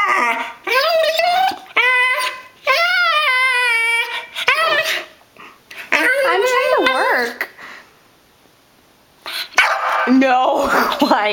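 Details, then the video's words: Wheaten terrier Molly, put on a diet and unhappy about it, gives drawn-out, tuneful whining howls that rise and fall in long wavering bursts, with short pauses between them. A woman's voice speaks between the bursts indoors. "Molly is HUNGRY!"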